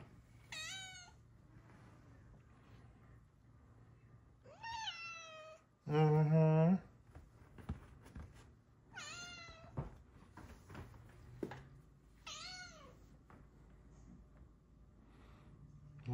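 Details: Luna Bear, a female Bengal cat with blue eyes, gives four drawn-out, arching meows spaced a few seconds apart indoors, with a short burst of a person's low voice in the middle and a faint room hum.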